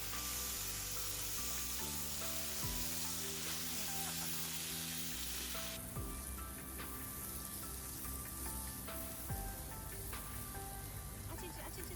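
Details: Soft music plays over steady sizzling and crackling, as of food frying or a fire burning, with no animal voices.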